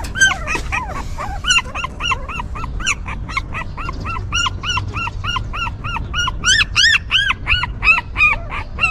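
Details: Newborn puppies whimpering while their stray mother dog keeps them warm, cleans and comforts them: a steady run of short, arched, high-pitched yelps at about three per second, growing shriller toward the end over faint low rumble.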